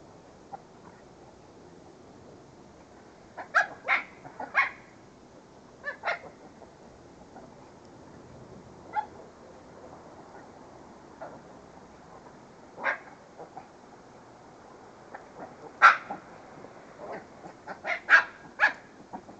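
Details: Pet dogs barking in irregular bursts, quiet at first, then clusters of sharp yapping barks toward the end over a faint steady hum.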